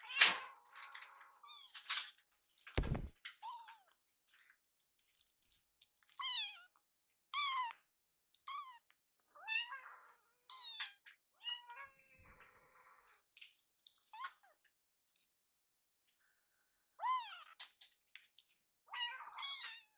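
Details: Foster kittens Yuki and Piyo chase their caretaker around the kitchen begging for warmed wet food; a long run of thin, high meows rises and falls throughout, broken by loud clunks and rustling from meal preparation.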